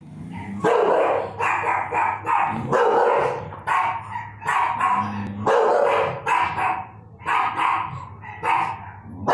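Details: An English Bulldog barks deeply and repeatedly in protective bursts, about one each second.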